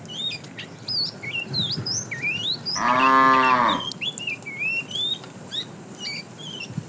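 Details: Tame cow herded to pasture in the morning, one loud harmonic moo lasting about a second amid constant sweeping, whistled bird chirps and background hiss.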